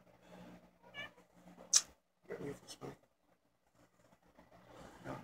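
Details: Domestic mother cat with her three kittens, indoors; a couple of short meow-like cries with clear harmonics around the middle, mixed with soft human talk and quiet room noise.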